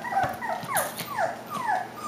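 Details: Klee Kai / Shiba Inu puppies about five weeks old give thin, falling whimpers, repeated about twice a second.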